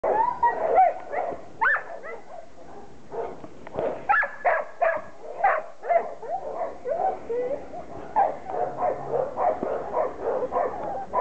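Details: Six-week-old Border Collie puppies from Sally and Sky, playing in the garden on their first outing: a dense tumble of short, high yaps and squeaky whimpers overlapping one another, several pups calling at once with little pause.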